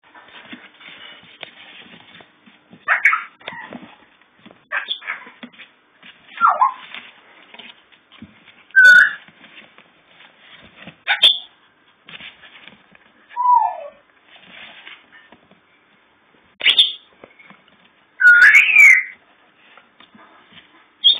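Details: Several puppies a few days before going to new homes, with an older dog named Bubbles nearby; high whimpering and squeaky yips come in short bursts every second or two, some sliding downward, over soft rustling and shuffling.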